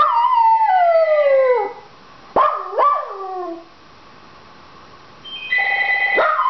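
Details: Indoor Dachshund wanting the phone answered: a long descending howl, then a short rising yelp and a lower sliding wail, before a telephone ring starts again at the end.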